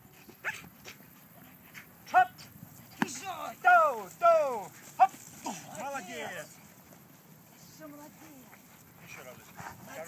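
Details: Giant Schnauzer makes a series of high, arching whines and yelps that bend downward, several in quick succession, mixed with quieter voices.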